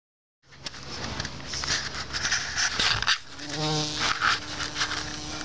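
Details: A bumblebee at Solomon's seal flowers in a small garden on May 29, 2014 gives a low, steady droning buzz rising out of a hiss of background noise.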